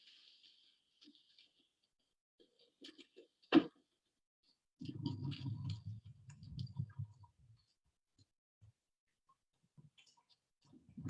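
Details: A small boat's motor is put into gear and revs up with a low droning rumble as the boat drives away, masking snapping shrimp. Before that, the shrimp make a sparse background crackle of sharp, dry clicks, with one loud snap standing out.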